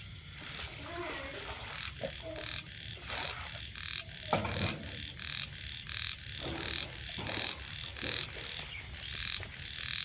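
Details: Small rice-field frogs calling in the evening along the edge of rice fields: short croaking bursts repeated irregularly, about two or three a second, over a steady fast pulsing of crickets.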